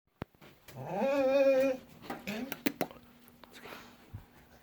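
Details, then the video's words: Dog whining early in the morning indoors: one drawn-out, nasal, rising whine lasting under a second, then softer short whimpers and scattered clicks and knocks in a small room. "dogs early am whining sounds"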